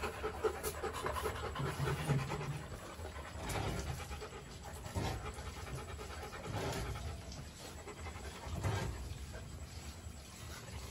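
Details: Two Rottweiler puppies, Bruno and Dora, kept in a kennel. Soft, raspy panting rises and falls in bursts over a low background rumble, with a few louder breathy puffs.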